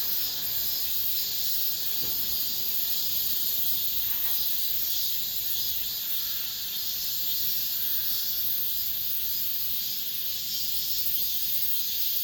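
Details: Late-summer cicada chorus inside an apartment complex, the season's final calling, heard as an unbroken shrill buzzing wash that swells and fades slightly in slow waves, with a couple of faint brief knocks.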